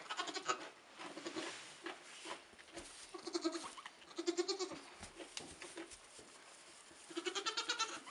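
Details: Nigerian Dwarf doe with her triplet kids a few hours old, 2015; several short bursts of quavering bleats separated by quieter gaps, with rustling and background noise between calls.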